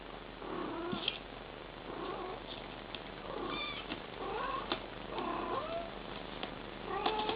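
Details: Mother cat talking to her kittens with soft rising and falling chirps and trilled murmurs, spaced every second or so, with scattered faint clicks and rustling between calls.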